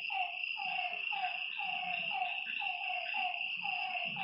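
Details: Lakeside frogs at night repeat evenly spaced, downward-sliding croaks, roughly two per second at times, while a continuous high-pitched insect chorus fills the background.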